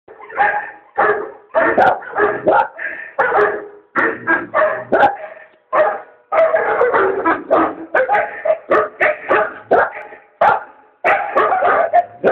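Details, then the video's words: Dog named Junior barking in response to the 2012 Volkswagen TV commercial The Bark Side: dense runs of short, harsh, mid-pitched barks in quick bursts with brief pauses, some faintly tonal, and a musical undertone. "Junior responds to the The Bark Side"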